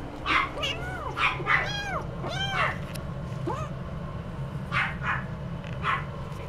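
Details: Somali cat mewing in a lively run of short, arched tonal calls, bunched together early and then sparser, along with scattered breathy bursts and a constant low background hum.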